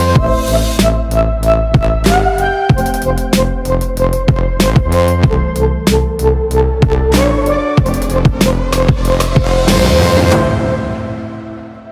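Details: Fast electronic music with bowed strings, thumping bass and sharp percussion hits fills the recording and fades out near the end, with no animal sounds.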